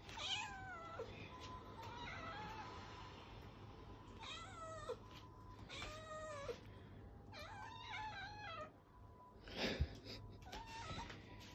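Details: Abyssinian cats indoors demanding treats: a series of loud, drawn-out meows with strong harmonics, each falling or bending in pitch, about five calls over eleven seconds separated by short pauses, over a low steady hum.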